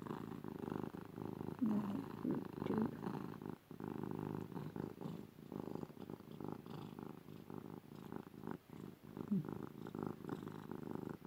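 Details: Female house cat Ruby getting cuddles, her loud purr a continuous low throbbing rumble with a rapid even pulse, steady for the full stretch, no other sounds standing out.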